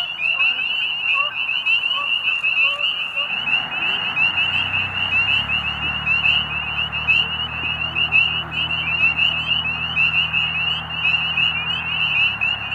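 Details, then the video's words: Spring peeper frogs calling to mate at Middle Creek Wildlife Management Area, Pennsylvania, as days warm just before spring. A dense chorus of many high, rising peeps overlaps continuously, with a low steady hum joining partway through. "Middle Creek Spring Peepers Frogs and Geese"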